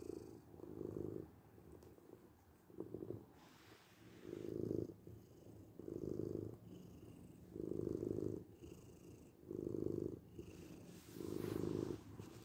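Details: A domestic cat purrs in a deep, rattling drone, with louder bursts about every second and a half alternating with softer, breathier phases. Seven or so swells in all.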